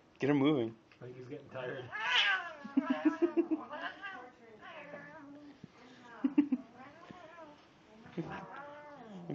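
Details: Forever tormented house cat letting out dramatic cries: a string of loud wavering yowls and warbling caterwauls, rising and falling in pitch, some long, some short, with a person talking between them indoors.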